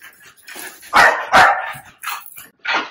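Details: Puppy, described as a mastiff or bully breed, yelping while its ear-cropping stitches are removed at home. Several short, sharp yelps with bright harmonics come in separate bursts over about three seconds, with a faint background between them.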